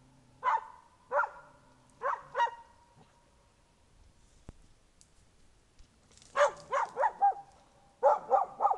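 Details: Young dog on guard after tracking an artificial bear scent trail to a person dressed as a bear: a few loud barks, a quiet pause, then a rapid burst of five or six barks and three more.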